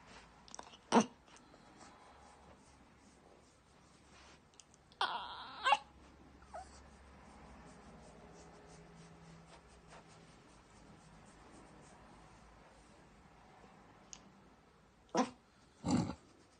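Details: A Miniature Yorkshire Terrier gives a few brief, odd whining noises separated by long quiet gaps, a weird noise it makes when stroking stops.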